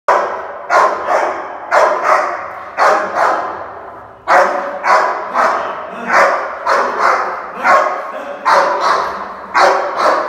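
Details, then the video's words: Angry Rottweiler in India showing food aggression: harsh, growling barks come in quick clusters of two or three, with short pauses between the bursts and one longer gap midway. "Angry rottweiler India"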